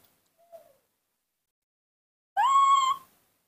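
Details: Hand-reared baby monkey calling for its absent mother: a faint short squeak, then a single loud tonal cry about half a second long, rising briefly at the start and holding steady, in a quiet room.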